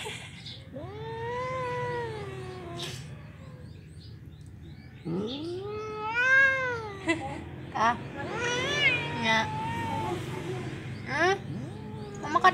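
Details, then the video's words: Angry black house cat, provoked by teasing, lets out a long sliding yowl of about three seconds, then another rising-falling wail, followed by a run of shorter harsh cries, with a constant low hum underneath. "isengin kucing hitam biar marah"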